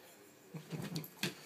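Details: Jazzy, a female Siberian Husky, practicing her favourite word "yum yum": a short, low, voiced warble broken into several quick syllables, rising slightly and ending in a sharper, brighter burst.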